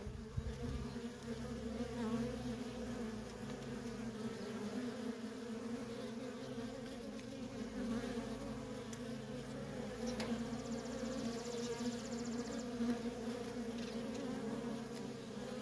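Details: Worker honey bees in nonstop traffic at a feral colony, a dense steady hum with a low droning fundamental and strong overtone, many wings overlapping continuously, the loudness barely dipping across the recording.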